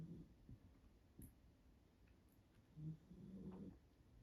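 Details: A Staffordshire Bull Terrier puppy snores softly in a quiet room, with low rumbling breaths rising and falling.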